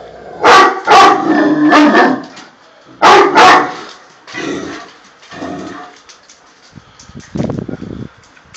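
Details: Guardian Tosa Inu barking in rough, booming barks, two quick pairs up front, then softer scattered barks trailing off into quieter, muffled sounds toward the end.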